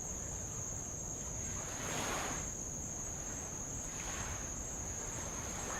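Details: Insects along the old-lava coast of Avalau, Kingdom of Tonga, during a row around the island: a sustained shrill, steady hum, with two soft hissing wave washes breaking below it.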